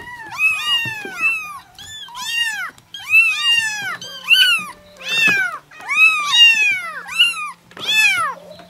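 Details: Kitten meows, high and arched with rich overtones, repeated about every three seconds in a quiet room with a faint low hum behind.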